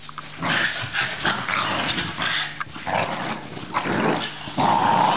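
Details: Australian Terrier giving rasping growls in several swelling bursts, each lasting about a second, with a faint tonal whine near the close.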